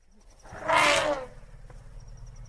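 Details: Elephant giving a single short, harsh trumpet blast that swells and fades within half a second, with a faint steady tone and low background hum.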